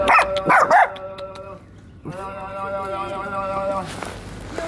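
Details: Family of dogs, a mother and her puppies, crowding around excitedly and wagging their tails; a few short sharp yelps open, then two long, steady, high whines of about a second and a half each.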